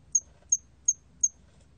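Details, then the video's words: Four crisp, very high-pitched chirps of a cricket, spaced about a third of a second apart, each a brief bright tick; recording from the Korean National Institute of Biological Resources, 2020, with a soft low background murmur. "털귀뚜라미, 여러번 듣기, 곤충소리"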